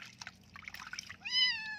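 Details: Flea-ridden kitten being given a bath lets out a single drawn-out, clear meow that holds steady then dips slightly at the end, preceded by splashing water and human voices.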